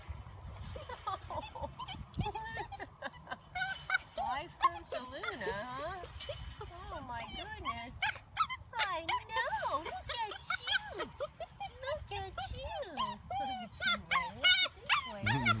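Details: Newly brought-home wolfdog pup meeting a household pack of two wolf dogs and two dogs, introduced one at a time at a baseball park; rapid wavering whines and high yips repeat throughout, rising and falling in arcs, with people talking in the background.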